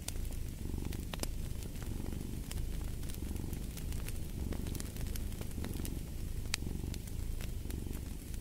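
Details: Deep, steady purr from a cat, pulsing in soft, regular surges about once a second, while a wood fire snaps and crackles in the background.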